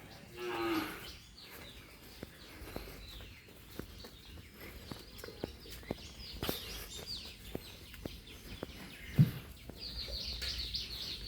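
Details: Farm cattle being taken out to graze in a green field; one short moo near the start, then quiet rustling and footsteps with faint chirping in the background.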